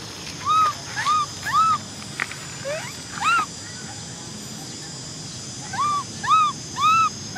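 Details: Young female macaque Cola, orphaned, cries because she wants to ride a bike: three arched wails in a row, a pause, one more, then another burst of three rise-and-fall cries.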